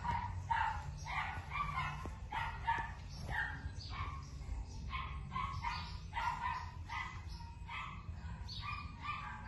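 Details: Young female Keeshond barking almost nonstop, with short shrill yaps repeated roughly twice a second against a constant low background hum and a few faint knocks.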